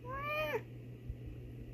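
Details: Female domestic cat answering her owner's meows indoors: one clear, rising-then-falling tonal meow about half a second long, over a steady low mains hum.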